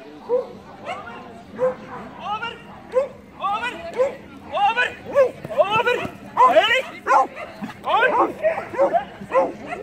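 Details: Beagle running agility, letting out repeated sharp yelping barks about once a second, growing louder and denser toward the end, with voices mixed in.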